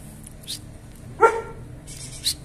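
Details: German Shepherds, a male and female pair during mating, with one dog giving a single short, harmonic yelp that rises slightly then falls. Faint clicks come just before and after it over a low background hum.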